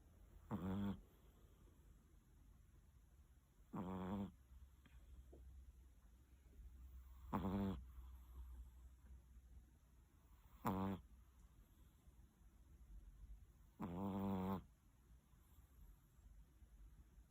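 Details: Large Chihuahua fast asleep on its cool bed at 7:45 in the morning, snoring loudly: five deep, rasping, buzzy snores roughly every three and a half seconds, with quiet breathing between them.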